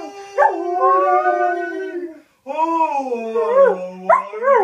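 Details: Ziggy the Samoyed sings along to a familiar advert jingle indoors. Two sustained, quavering howls hold a steady pitch before sliding downward, separated by a brief gap. Yips and a rising wail follow, with the song's vocals audible beneath.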